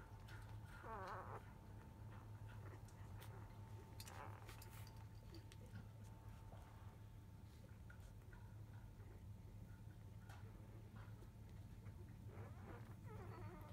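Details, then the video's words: Five-day-old field-type Labrador Retriever puppies calling while their mother is away eating, just after 1 pm; faint wavering whines and squeaks come in short bursts near the start, middle and end over a steady low hum. "Labrador puppy 5days old♪ラブラドールレトリーバーの子犬・生後5日目・13時すぎ・お母さん犬はご飯中・・・"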